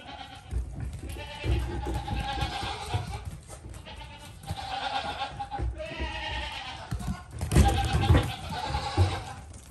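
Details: Young goat kid bleating in several wavering, nasal calls of about a second each, spread over the recording, partly masked by strong low rumbling and handling noise.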